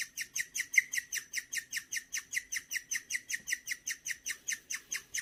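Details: Gureum, a pet guinea pig kept indoors, chirps like a bird when happy: an unbroken run of sharp, evenly spaced high chirps, roughly two and a half each second, in a quiet room.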